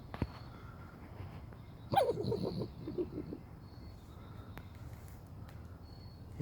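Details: A trapped raccoon, removed at 2 a.m. from a kitchen it entered through a cat door, gives a brief, fluttering whine that slides downward, then trails off into quieter stuttering sounds.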